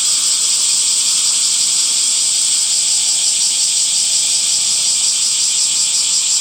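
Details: Summer cicada chorus forming a constant shrill, hissing buzz, steady in loudness, with a subtle rapid pulsing texture and nothing else prominent.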